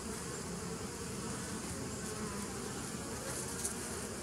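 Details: Steady bee buzz from 27 September 2018, a rough, even drone rich in low tones with a soft hiss above and one brief tick near the end.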